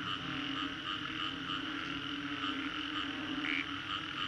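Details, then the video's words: Frogs calling en masse after a storm, Green Corridor, Singapore, recorded as a 3D soundscape: dense continuous croaking, a low steady drone and a prominent brief higher call near the end. "Frogs after Storm"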